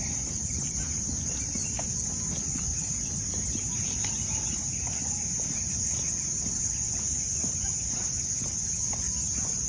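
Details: Crickets heard on a morning walk, making up most of the sounds: a steady, continuous high-pitched shrill drone in several layered bands. Faint scattered chirps and a low rumble run beneath it.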